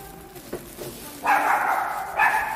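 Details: Indoor Shih Tzu letting out two loud, rasping barks in the second half after soft thumps and murmured speech.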